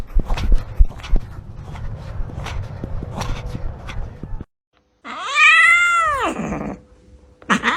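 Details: Cat meowing to express emotion, live sound: after a stretch of clattering, rumbling background noise comes one loud, drawn-out meow that rises and then falls over about two seconds, followed by the start of another meow cut off at the end.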